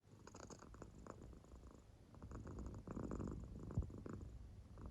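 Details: Claire, an American Shorthair cat fast asleep indoors, purrs in deep sleep: a low rumbling purr with soft breathy bursts swelling and fading, one brief click near the end.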